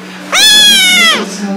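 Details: A kitten gives a single loud, clear meow about one second long, starting with a slight upward slide, then holding a steady, bright, harmonic-rich tone before falling off at the end.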